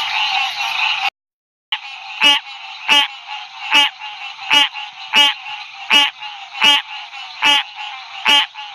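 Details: Male green tree frog calling beside a road at night in Ouachita National Forest, lit by a flashlight. A chorus hums, then cuts out briefly. Loud, nasal, honking notes follow, repeated about every 0.75 seconds, with the chorus continuing behind.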